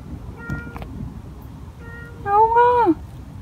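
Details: Stray cat crying at night, met on the way home from work: one drawn-out tonal meow that rises then slides down, preceded by faint clicks and a low hum.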